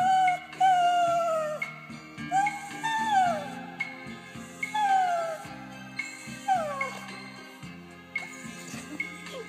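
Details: Dog singing along to a Beatles love ballad as a trick, urged to sing louder: a series of drawn-out howls that slide downward at their ends, about five phrases, over soft guitar music.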